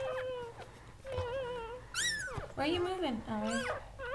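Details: Whimpering from Goldendoodles as the mother Sandy gives birth to a litter of seven puppies; drawn-out level whines, then sharp rising and falling squeals and wavering cries, mixed with quiet human speech in a small room.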